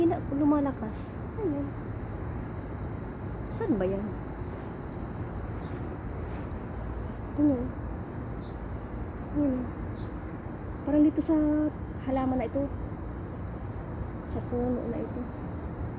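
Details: In Saudi Arabia, an insect gives a loud, steady, high-pitched trill that pulses without a break, with people talking quietly underneath.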